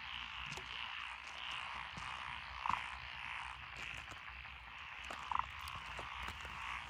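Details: Chorus of frogs in lotus rice paddies along a country road in Echizen, Fukui, Japan, 12 June 2021, with tree frogs and pond frogs named. Dense continuous croaking trills, with two louder short pulsed croaks standing out.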